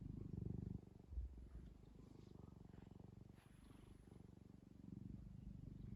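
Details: Cat kneading a fluffy blanket purrs in a deep, throbbing rumble of rapid pulses, loudest at the start and end, with a faint brief thump early on and soft rustles.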